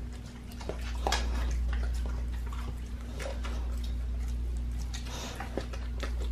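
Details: Pit bull on a raw diet gnawing a raw leg of lamb indoors: irregular wet crunches and sharp clicks, roughly three to four per second, over a steady low hum in a small room.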